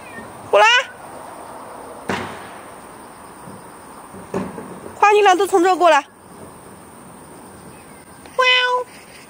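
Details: Two cats walked in a Beijing garden in early morning, August 13, 2013; several wavering, drawn-out meows about a second long, one near the start, a longer run of calls around five to six seconds, another near the end, with light knocks between.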